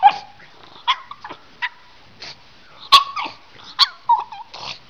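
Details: A 'talking' pug from a funny pug compilation makes a series of brief grumbling and whining sounds, some with a steady tonal whine and some sharper yip-like bursts, coming irregularly about once a second.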